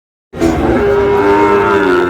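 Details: Sahiwal cattle at the busy Ambari cattle market in Dinajpur district, Bangladesh, where Sahiwal bull calves are being sold; a sustained, tonal, harmonic moo starts abruptly and holds fairly steady for about two seconds, with market murmur behind.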